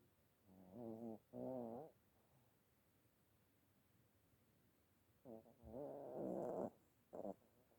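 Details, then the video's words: Dog asleep and snoring, making two quick harmonic snorts close together, then a pause. A longer, rougher snore follows at about six seconds, and a brief final snort comes after it. The room is otherwise quiet. "Собака храпит. Спящая собака. Храп"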